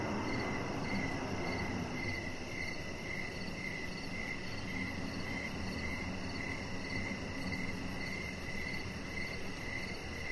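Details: Crickets calling on an evening outdoors by a lit deck where a chihuahua rests; rhythmic shrill chirps pulse in a steady train, with a soft continuous low wash of outdoor noise beneath.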